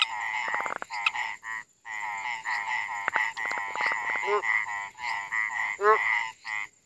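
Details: Several frogs croak together at night in India, giving dense runs of rasping, pulsed notes with brief gaps. A few rising, twangy calls and quick clicks stand out.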